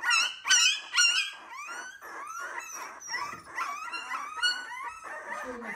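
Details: Three-week-old wire-haired miniature dachshund puppies, several together indoors, unhappy at being fed milk by a person instead of their mother: loud, overlapping high whines and yelping cries with bent, wavering pitch, continuing throughout.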